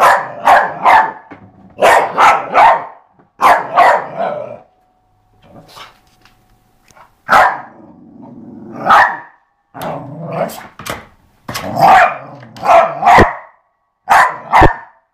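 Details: Eva the dog barks while playing with a skateboard, firing off rapid bursts of three or four sharp barks, with short pauses between the bursts and a longer quiet gap near the middle.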